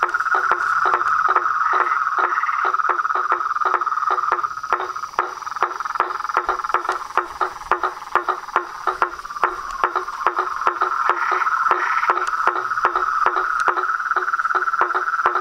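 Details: Chorus of frogs, toads and treefrogs: a steady trilling band with sharp clicking pulses repeating rapidly throughout, plus fainter lower croaks underneath.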